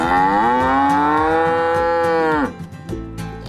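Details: Docile farm cow, raised for milk and meat, lets out a single sustained moo of about two and a half seconds, steady in pitch and cut off with a falling tail, with light music playing underneath.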